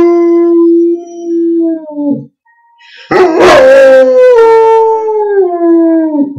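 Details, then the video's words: Gordon Setter kept as a pet howls in drawn-out, steady tones, the first howl dropping at its end, then after a short gap a louder howl that rises and slowly slides downward. "George Howling"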